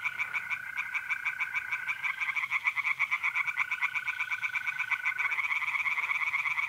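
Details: North-east Italian pond at night, mid-April: many tree frogs give quick, grating pulse trains in a continuous chorus. The sustained whistle-like trill of mole crickets starts, breaks off and resumes.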